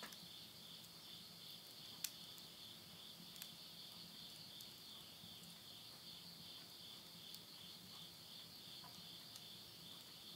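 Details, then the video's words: Insects calling at midnight at the end of summer, September 2020, in the countryside of Yurihama, Tottori, Japan: a steady, unbroken high shrill chorus in two close bands, with sharp crackles and pops from burning wood in a stove. "the voice of insects"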